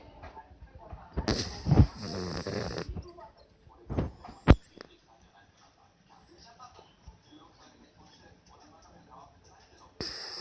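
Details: Maron, a brown Miniature Dachshund, sleeps deeply indoors and snores: a few rough, breathy snorts in the first seconds, a sharp click near the middle, then soft low rumbling breaths until the end.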